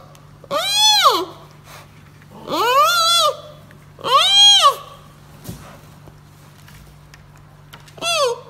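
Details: Young giant panda cub crying out in repeated harmonic bleats that swoop up and down, four calls with uneven gaps, one faint click between them, over a steady background hum.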